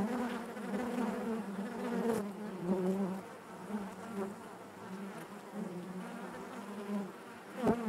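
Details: Steady buzzing of honey bees in their hive, a warm low drone with wavering overtones and gentle pulses of louder wingbeats, ending in a brief sharp tap.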